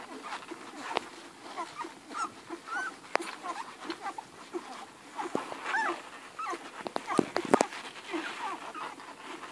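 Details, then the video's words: Hungry Irish Red and White Setter puppies, eleven in the litter, nursing from Ruby. Thin rising whimpers and squeals repeat over constant suckling, broken by a few sharp knocks and rustles. "11 hungry irish red and white setter puppies nursing"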